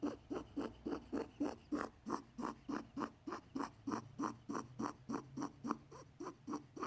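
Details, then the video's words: Pet male rabbit making unusual sounds, possibly unwell; a vet was unsure of the cause and gave antibiotics. Steady, rhythmic, raspy pulses of about three or four per second, like wheezy breathing, continue in a quiet small room. "My bunny is making weird sounds."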